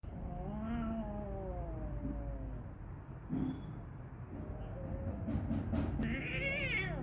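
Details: Kitten fighting another cat, the kitten alone vocalizing: long wavering low yowls and growls with a drawn-out moan, then short harsher meows near the end over steady low background rumble.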